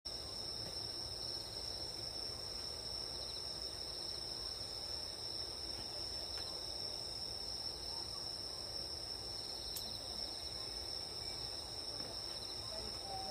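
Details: Grass insects heard at night while camping outdoors. A steady, unbroken high-pitched ringing trill holds constant throughout, with fainter higher tones layered above it and a low background hum.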